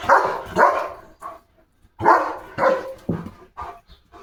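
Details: Pet German Shepherd Leo gives loud barks in two pairs, each pair followed by softer, shorter barks, with brief silent gaps between the bursts.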